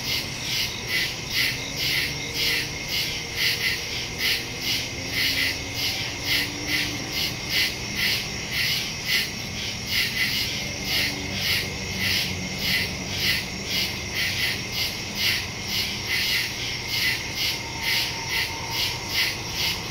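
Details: Crickets chirp in the woods at night, recorded September 2, 2023 on a Samsung Galaxy S22 Ultra phone with a Shure MV88+ stereo microphone; a dense, high shrill chorus pulses steadily about twice a second throughout.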